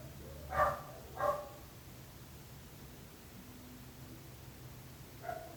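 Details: Barking dogs disturbing neighbours: two quick barks in succession, then a long lull with a faint low tone, ending in a single softer, more distant bark.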